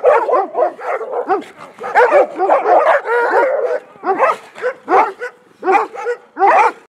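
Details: An untrained Komondor barks in rough, repeated bursts during a territory-guarding test with light provocation, Gyömöre, Hungary, 2014.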